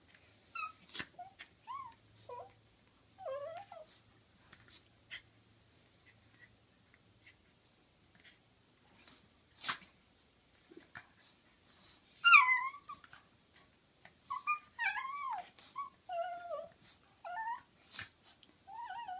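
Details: Dog at play, wrestling with a companion dog: repeated high, warbling whines and moaning squeals, sparse at first then crowding together in a louder run near the end, with sharp thumps and clicks of movement.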